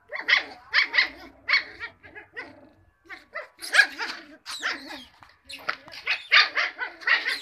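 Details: Cocker Spaniel puppies yapping in quick clusters of shrill, bright barks and yelps, several rapid calls at a time with short pauses between, forming a busy chorus of young dogs.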